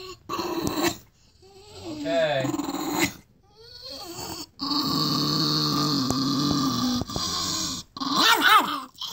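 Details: Chihuahua indoors being told to go to bed, answering with drawn-out grumbling growls and whiny, wavering vocal complaints in long stretches, broken by short pauses, with a person speaking.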